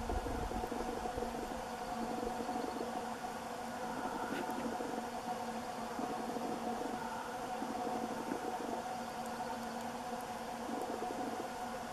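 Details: A steady mechanical whir and low engine-like hum with faint muffled voices, and no animal calls.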